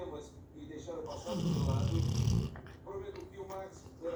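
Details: Sleeping Labrador Retriever gives one long, low, grinding snore lasting about a second, framed by murmured speech before and after.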